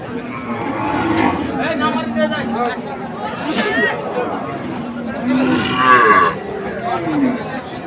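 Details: Deep, prolonged lowing from cattle offered with calves at Amabari market in Dinajpur, 24 May: two long, steady moos set against a crowd talking and haggling nearby.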